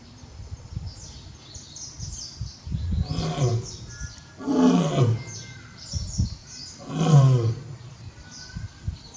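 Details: Barry, a male lion at Tobe Zoo, roaring on 5 October 2021 while calling toward the backyard for the absent Daisy. Three deep, rasping roar bursts rise and fall about every two seconds, with small birds chirping high in the background.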